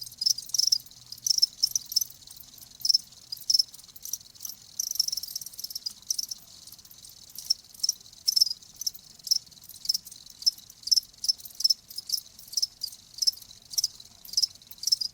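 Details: Crickets chirping against near silence: short, high, bright chirps in irregular bursts, sometimes singly and sometimes in quick clusters of two or three, spaced under a second apart, with no other sounds.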